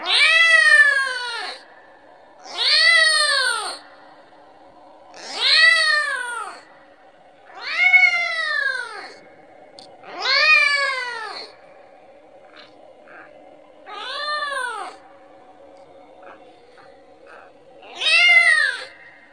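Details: Kitten repeatedly calling its mother, begging for milk: seven insistent, arching meows, roughly every two to three seconds, loud and harmonic-rich, with the pace slowing slightly near the end.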